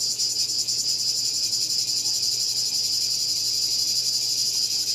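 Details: Cicada calling: a loud, high, continuous buzzing shrill with a fast pulsing texture, steady throughout, and a faint low hum underneath.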